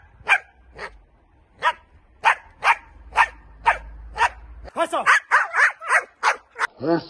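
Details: During training, a Dutch Shepherd gives a string of sharp, regular barks. These turn into quicker, overlapping yelps and whiny calls mixed with spoken commands near the end.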